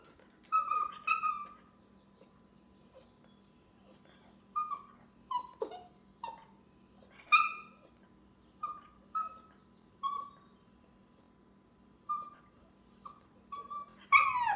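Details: Indoor dog whining because it wants to go outside: short, high, tonal whimpers that slide downward, repeated in uneven bursts with pauses, over a faint steady low hum.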